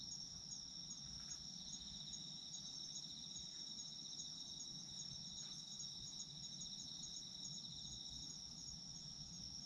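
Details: Night chorus of autumn insects meant for sleep: constant shrill high trills with a faintly pulsing upper layer, even in loudness, over a quiet low background rumble.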